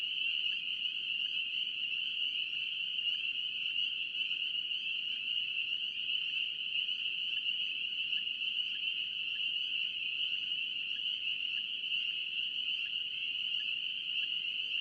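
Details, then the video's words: Continuous chorus of North Carolina spring peepers, a dense, high-pitched shrilling that never pauses, with scattered brief peeps just audible within the steady ringing and a faint background hiss. "NC Peeper frogs"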